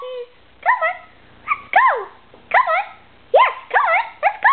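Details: A two-year-old female Irish Terrier, urged on for a walk, gives a run of high, yelping whines and bark-like cries with rising-then-falling pitch, about eight bursts in under five seconds, each wavering and squeaky.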